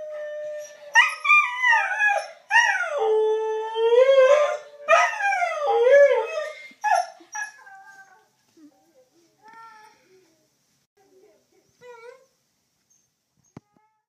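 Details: Diablo, a dog missing his owner in Missouri, howls during a daily webcam call, with the owner howling back, recorded on an iPhone 4s. Long harmonic howls rise and fall in overlapping bursts for eight seconds, then fade into short faint whimpers.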